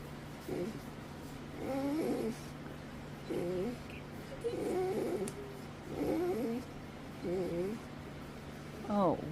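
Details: Dog that rarely barks or makes noises, vocalizing unusually while getting attention: wavering, moaning whine-groans in bursts about every one to two seconds, ending in a higher rising-falling whine, over a steady low hum.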